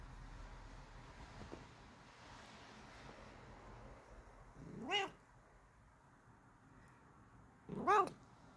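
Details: Bengal cat giving two clear, harmonic meows about three seconds apart, each rising then falling in pitch, against a quiet indoor background hiss.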